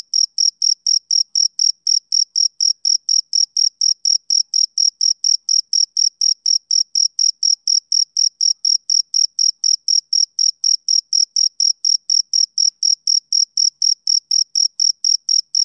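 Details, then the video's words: Rhythmic chirping of a male cricket on a summer evening. Sharp, shrill pulses repeat quickly and steadily, roughly three to four each second, throughout a quiet background. "Cricket Chirping Sound Effect"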